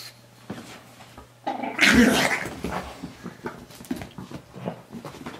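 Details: Pet pug named Moo Man growling while fighting a new guinea pig toy indoors; a loud rough growl burst near the middle, followed by scattered snuffles and shuffling noises in a small room.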